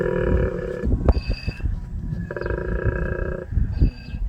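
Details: Angry growl from Mr. Wally, a male wild koala living in roadside trees on an Australian homestead. A rough, throbbing low growl underlies two long nasal droning phrases, with sharp clicks and knocks between them.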